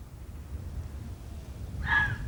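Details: A vixen red fox barks once in woodland beside reedbeds on a winter's afternoon, a short, harsh bark with a hoarse ringing edge against a low wind-like rumble.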